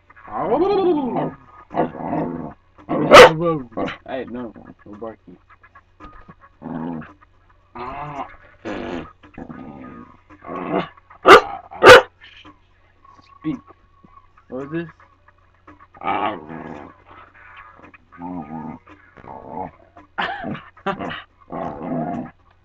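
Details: Pet dog making drawn-out, wavering yowls and short whines on its owner's command to speak, a so-called talking dog, the calls rising and falling in pitch and broken up by the owner's repeated coaxing speech.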